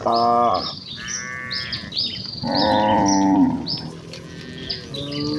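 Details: Village herd of cattle hurrying to the pen in excitement, giving loud moos: a strong low moo, a higher drawn call, then another long full moo, with bird chirps scattered above.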